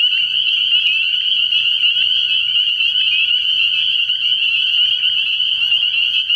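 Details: Night at a frog pond in early spring: spring peepers calling together in an unbroken, high, bright ringing chorus of overlapping peeps, with a faint low hum underneath.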